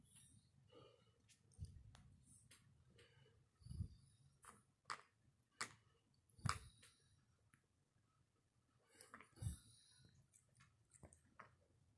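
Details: Happy mini pig grinding its teeth indoors: irregular dry clicks and crunching scrapes, several sharp louder grinds spaced a second or two apart, set against low soft rumbling.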